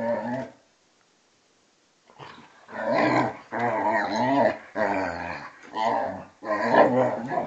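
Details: Indoors, a two-and-a-half-year-old vizsla and a twelve-year-old pointer wrestle in play, loud throaty growls rising in repeated one-second bouts after a short silence.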